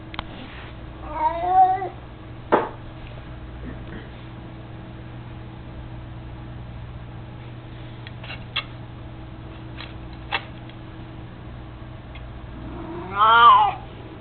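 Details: Mico, an elderly 18-year-old cat, mostly blind and chubby, playing with his toy mouse, gives two separate mews about twelve seconds apart. A quiet stretch between them holds scattered sharp knocks and clicks.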